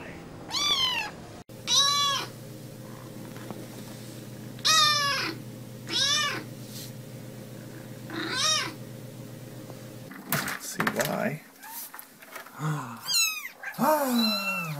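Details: A cat repeats short, bright meows every one to two seconds over a low steady hum, then clattering and rustling noises with a few more quick, sliding cries at the end.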